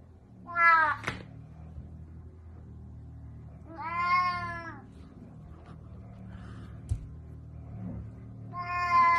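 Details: A cat attacking and biting its owner gives three drawn-out, richly harmonic meows spaced about three to four seconds apart, with a person speaking Russian and faint music behind.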